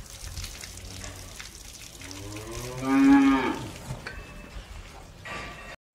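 A cow gives one drawn-out, wavering moo over a soft background hiss.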